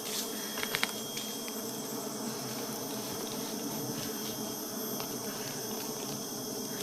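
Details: Steady droning hum of many honey bees during honey gathering, low and even throughout, with a thin high continuous whine and a few light ticks near the start.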